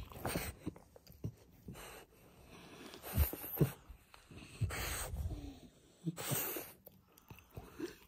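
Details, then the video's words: French Bulldog in its first minutes after waking up, giving wheezy, snorting breaths indoors, with loud snuffling bursts coming every second or so amid quieter rasping and a few soft clicks. "French bulldog in the first minutes after waking up"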